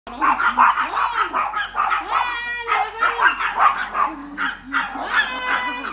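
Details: Chihuahua barking angrily and bravely at a bigger dog: rapid, uneven yappy barks about two to three per second, with whiny, wavering tones between bursts.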